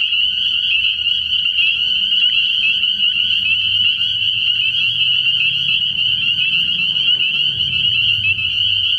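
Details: Early-spring night chorus of spring peepers at a frog pond, heard as continuous piercing high-pitched peeping from many frogs over a low droning undertone.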